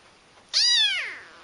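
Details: Domestic cat indoors giving a single clear meow, bright and harmonic, rising briefly then sliding down in pitch over about half a second, with faint room noise.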